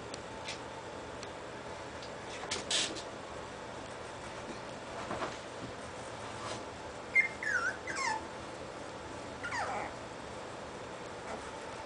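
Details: Scottish Terrier pups, 25 days old, discovering toys and fighting with each other in play; thin, high whimpers and squeaky yelps rise and fall near the end, amid soft scuffling knocks and clicks of play.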